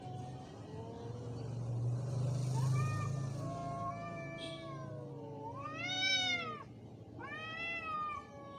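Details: Angry cat during a fight, wavering yowls that rise and fall, ending in two sharp arching wails, with a low steady hum underneath throughout.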